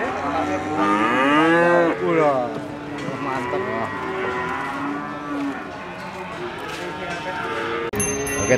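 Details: Cows at the Ambarketawang cattle market, Gamping, Jogja: a strong, arching moo rises and falls near the start, then lower drawn-out lowing from other cattle continues over the market's background chatter, ending with a brief sharp clatter.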